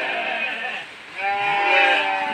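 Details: Hungry goat bleating for food during heavy rain: two drawn-out, harmonic-rich bleats separated by a short pause, steady rain hiss behind and a man talking nearby.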